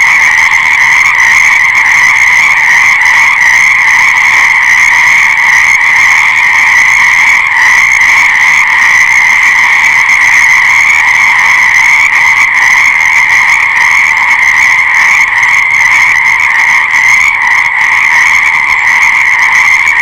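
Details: Frogs in full chorus, a long stretch of continuous, shrill, pulsing trills from many animals at once, never stopping, with only slight flickers in intensity.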